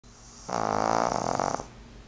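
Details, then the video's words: Two-year-old pug named Fran Q snoring loudly indoors while the TV is on; a single rough, rattling snore lasting about a second, rich in buzzy harmonics and pulsing rapidly, then quiet. "フランQ の いびき!!!"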